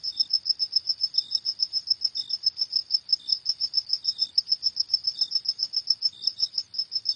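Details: Crickets chirping at night in a fast, insistent, high-pitched beat of evenly spaced pulses, with occasional lower, softer chirps from another insect; nothing else is heard.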